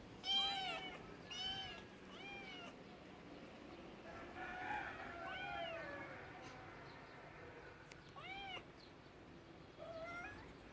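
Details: Several cats meowing in turn: three quick arched meows at the start, a drawn-out wavering meow in the middle, then two more short meows later, over low background hiss.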